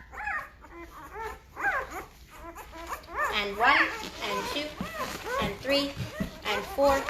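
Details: Five-day-old Great Bernese puppies, a Great Pyrenees and Bernese Mountain Dog cross, getting noisy: overlapping high, arching whines and squeals rise and fall in short bursts, several voices at once, with some gaps between cries.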